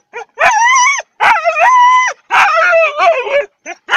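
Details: Siberian huskies howling together before a training session: long wavering harmonic howls of about a second each, bending up and down in pitch, separated by short silences.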